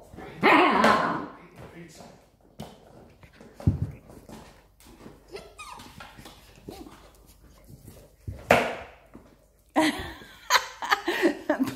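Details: Siberian Husky pups squabbling over one toy, giving harsh, broken snarling bursts at irregular intervals, with a flurry of rougher yaps toward the end; people talk and laugh in Spanish throughout.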